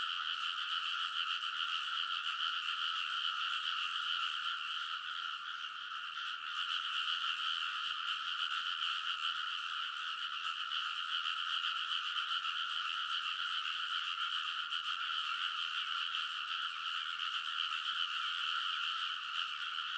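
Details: Frogs chorusing loudly at midnight in early summer on the ridges of a rice paddy in Kōnosu, Saitama, Japan; a sustained, dense blanket of quick croaks continues without pause, recorded on a TASCAM Portacapture X8.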